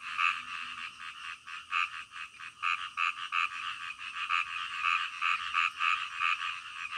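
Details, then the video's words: Many frogs croaking in the night, short pulsed calls tumbling over one another at an irregular quick pace, nearly three per second, the chorus never pausing. "SUARA KODOK DITENGAH MALAM"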